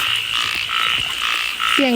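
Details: Frogs calling very loudly at night while being caught: rapid pulsed croaks, about four short bursts in two seconds, overlapping in a steady chorus. A brief human voice rises at the very end.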